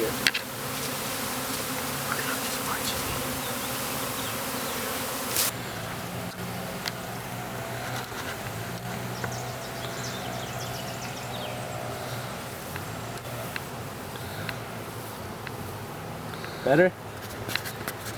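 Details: A honey bee swarm that landed about 25 feet up in a Ginkgo tree in a yard, its branch cut down, makes a thick, continuous low buzzing drone as the bees march into a hive box; brief knocks follow near the end.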